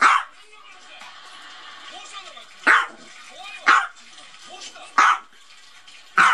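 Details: Small Maltese dog at play against a duck toy: five crisp, high barks, the first at the start and the rest coming roughly every second after a two-second pause, with soft background noise between.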